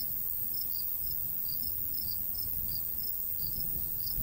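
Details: Rural summer wheat field with crickets: thin, high chirps spaced roughly every third of a second, fairly soft, over the rumble of a light breeze.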